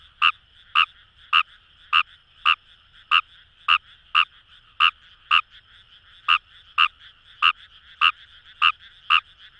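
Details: In Fukuoka's Itoshima paddy fields by the Kamo River, a Fejervarya kawamurai gives crisp, staccato croaks in a quick series with irregular small gaps, a continuous low frog chorus underneath.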